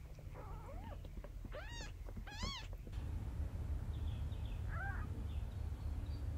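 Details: Domestic cat with her kittens, the mother carrying them to safety in her mouth; two high, arching mews in quick succession, then a fainter third after a pause, over a steady low background rumble.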